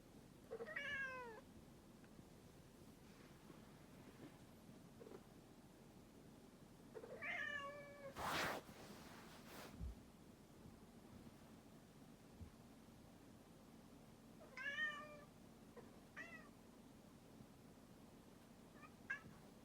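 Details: Domestic cat giving an unusual call indoors: quiet, short meows that rise then fall, spaced several seconds apart, with a few fainter chirps, a loud knock near the middle, and a low steady hum throughout.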